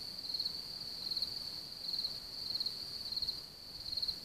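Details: Around Hamr by Chlum u Třeboně in Bohemia, where a large cricket population lives, high chirping trills swell and fade in clear bursts roughly every half second, pausing briefly near the end.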